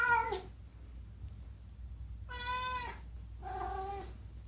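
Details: Chatty rescued house cat meowing indoors to make a demand; three meows in four seconds, the middle one longest and steady, the last lower and shorter, over faint room hum.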